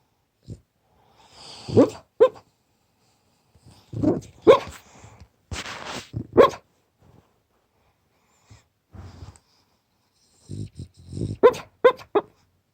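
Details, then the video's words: French Bulldog barking and snoring while asleep: clusters of soft muffled woofs and rough grunts, with quiet pauses between bursts. "Französische Bulldoge bellt im Schlaf, schnarcht"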